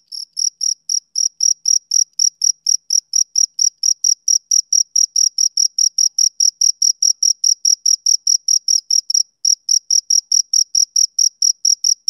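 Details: Shrill rhythmic chirps from a male cricket on a summer evening start softly, then settle into an even pulse of about three to four per second, with a brief hitch past nine seconds. The surroundings are quiet.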